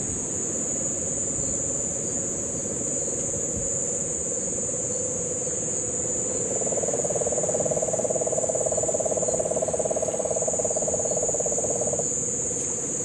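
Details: In Guánica Dry Forest, Puerto Rico, during the September 2007 rains, a Puerto Rican crested toad starts a loud, fast, buzzy pulsed trill midway and holds it about six seconds over a lower steady hum and a high insect whine; cane toads are present.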